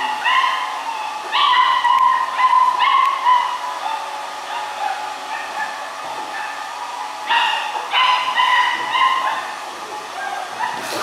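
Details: 45-day-old black-saddled German Shepherd puppies from a litter of one female and three males whimper and yip in high, thin, wavering cries that come in short bursts.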